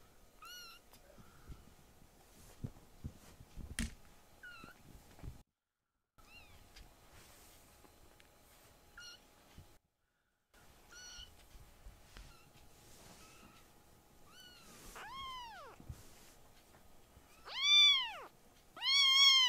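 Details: Rescued foster kittens indoors: faint short chirpy mews and clicks at first, building to several loud arching meows near the end, the last two strong and drawn out.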